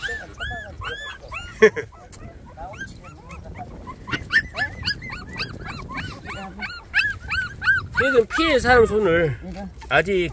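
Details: Twenty-four-day-old puppies whining: sparse high arched squeals at first, then denser overlapping whimpers and a deeper warbling cry near the end, with faint background sound.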